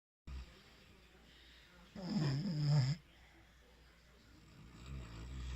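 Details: Valentino, an English Bulldog, asleep indoors; one rough, droning snore of about a second rises and falls low in pitch, with quiet breathing before and after.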